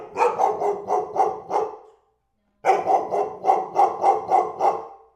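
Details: A dog barking in two rapid bursts of about six sharp barks each, roughly three to four per second, separated by a short silent gap.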